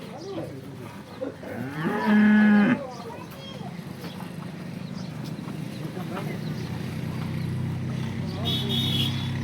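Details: Local Banaskantha cattle on a farm, including a horned cow in her first lactation: a short, low, droning moo of about one second. Quiet speech and farmyard background noise surround it.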